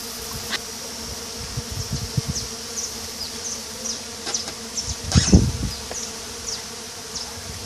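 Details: Mandaçaia stingless bees at colonies during a hive inspection by a beekeeper in 2016, steady low buzzing with scattered sharp high chirping streaks and a louder burst of handling noise midway.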